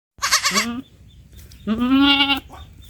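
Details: Baby goat bleating twice: a short quavering, wavering bleat followed after a pause by a longer, steadier, slightly rising bleat with rich harmonics; quiet background between calls.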